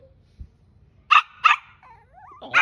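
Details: Angry, stubborn Shih Tzu puppy giving two sharp barks close together, a thin wavering whine, then another bark at the end.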